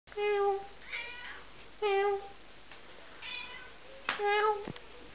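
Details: Domestic cat meowing while being talked to indoors: three loud, drawn-out harmonic meows about every two seconds, with softer, shorter mews between them in a quiet room.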